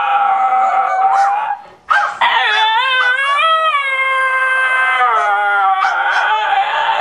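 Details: Two pet dogs, Lyla the basenji and Juice the Miniature Australian Shepherd, sing, yodel and howl indoors. Long wavering howls slide up and settle into sustained tones, with yips and a brief pause near the start.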